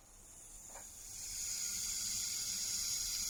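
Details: Rattlesnake, a dangerous venomous snake, shaking the tip of its tail very fast: a dry, hissing, maracas-like buzz that starts faint and swells after about a second into a steady, high, continuous rattle.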